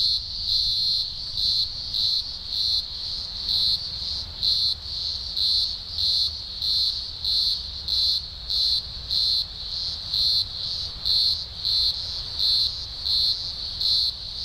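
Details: In the Blue Mountains, Australia, in early October 2020 (spring), thousands of green grocer cicadas from a large emergence sing a loud, shrill chorus that drones steadily, swelling and fading in regular pulses about every half second.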